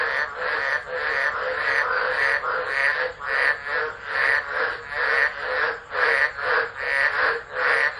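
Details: During a tropical storm at Driver, Northern Territory, Australia, in December 2013, frogs chorus loudly into a phone left recording; throbbing pulsed croaks in regular waves, about one surge per second.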